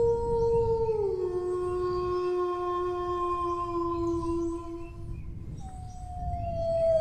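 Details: Dog howling, a long tonal wail that slides down from a high opening to a steady lower pitch for about four seconds, then a second howl begins descending near the end; faint low rumble underneath.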